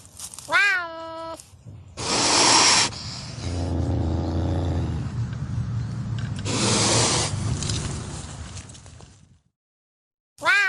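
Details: Pampas cat from Argentina: a short, tonal, falling meow-like cry, then long breathy hissing and rough growling lasting several seconds, a pause of near silence, and another brief meow-like call at the end.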